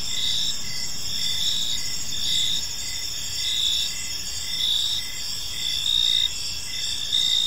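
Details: Several crickets chirp together in a park as evening falls, a dense high ringing trill with short rhythmic chirps near once per second, plus a quiet low rumble of distant background noise.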